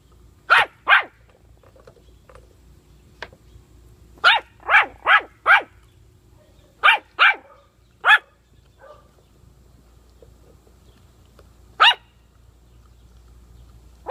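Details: Bursts of high, sharp puppy barks around bully sticks: a pair, then a rapid run of four, another pair, then scattered single yaps separated by quiet stretches, with a low steady hum underneath.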